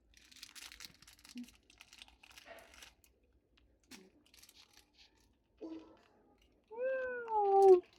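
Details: Faint crinkling and rustling, then a newborn Persian kitten gives a high, thin meow that wavers and falls slightly at the end. The cry is clear and harmonic-rich, lasting about a second.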